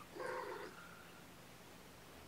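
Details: Foster kittens indoors, sleepy and waking up after a nap on weigh-in night, snuggled with their caretaker; one short tonal meow with clear stacked harmonics in the first half second, then quiet room hum.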